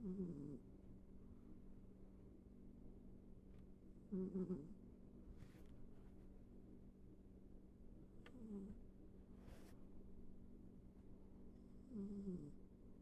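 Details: Pet cat named Ivy snoring while asleep indoors: low, rasping snore breaths at roughly four-second intervals, each a short harmonic rumble, with faint room hum between them.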